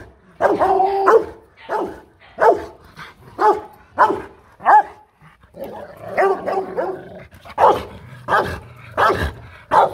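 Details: Rottweiler barking aggressively to threaten another dog: deep, harsh barks in irregular bursts, some single and some doubled, with short gaps between them and a few rougher, growling barks in the middle.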